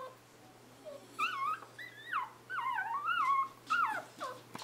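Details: Newborn Scottish Terrier puppies, arrived 11 November 2010, whimpering indoors: loud, wavering whines that rise and fall in pitch, several overlapping cries in quick succession with brief pauses, some short lower squeaks between.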